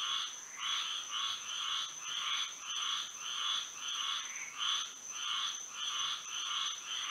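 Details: Night chorus of frogs in Florida by moonlight, with rhythmic buzzy croaks repeating about twice a second in an even pulse, backed by a continuous shrill high tone.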